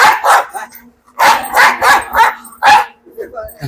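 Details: Pet dog in a Malayalam dog-challenge clip, described as a fierce biter, giving a series of short, harsh barks in quick bursts with brief pauses, while people talk nearby.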